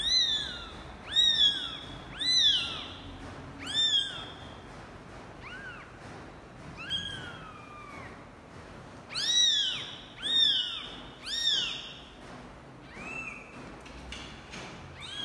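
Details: A father cat's first encounter with his kittens brings a steady run of high, thin meows, about one per second, each arching up then falling, some clipped short and some drawn out. The room is otherwise quiet.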